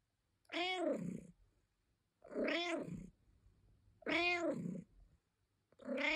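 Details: Domestic cat complaining with a series of long, drawn-out meows, each rising then falling in a clear arched tone, repeated roughly every one and a half seconds with silence between.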